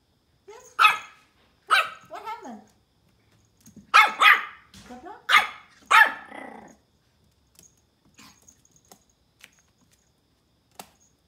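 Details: A tiny Pomeranian puppy barks at a ball in a run of shrill, yappy barks, each short and sharply pitched.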